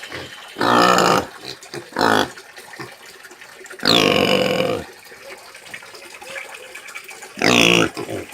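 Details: Farm pig (porco caipira) screaming: four loud, harsh, broadband squeal bursts of under a second each, separated by quieter gaps with faint grunting and background noise.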